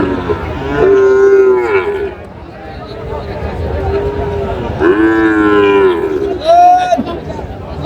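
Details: Sahiwal bull calf at a cattle market on 8 July 2025, a Tuesday market day, bought by a Narsingdi farmer: three drawn-out, tonal moos with rich harmonics, the last one rising higher and shorter, with faint crowd murmur behind.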